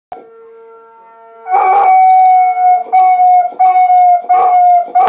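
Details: A dog howling along with a siren: a steady faint tone first, then loud pulsed wailing bursts over a sustained mid-pitched tone, repeating several times a few seconds apart.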